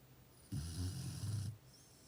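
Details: A Chow Chow puppy snoring at night gives one deep, rumbling, rattling breath lasting about a second.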